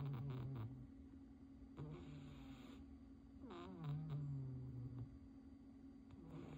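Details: Snoring from Ponyo the cat while asleep indoors: short low rasps at the start, then a longer sagging rumble midway, with a steady electrical hum throughout.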